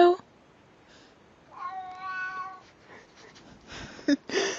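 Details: Pet cat meowing as if saying hello: a short human 'hello' opens the clip, then a drawn-out harmonic meow of about one second, followed by room noise and another spoken hello at the end.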